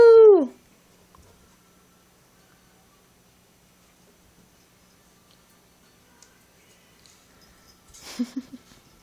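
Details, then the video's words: Chihuahua Pepita and Beagle puppy Noshi at play indoors: one loud falling yelp-whine at the start, then near silence, ending with a few soft low grunts and scuffling near eight seconds. "Chihuahua Beagle Puppy Dogs Playing"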